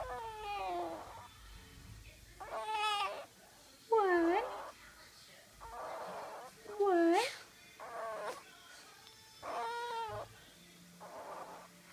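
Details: Sick baby Boston Terrier puppy with an upper respiratory illness, weighing 1 lb 4 oz, giving short, rising-then-falling, whiny 'mama'-like yelps about every one to three seconds while a woman keeps coaxing it to say mama.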